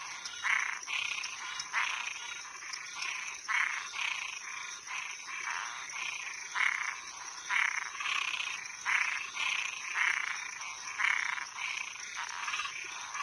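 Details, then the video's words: Nighttime chorus of toads and tree frogs: many overlapping grating, buzzy notes in quick succession, uneven rhythm, over a continuous high-pitched whine in the background. "Som de animais noturno Sapo e perereca"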